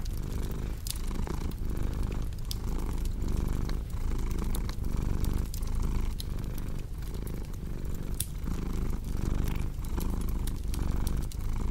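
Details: Cat purr as a soft, throbbing low drone, pulsing with regular inhale and exhale roughly every second, while a crackling fireplace adds frequent dry clicks and pops throughout.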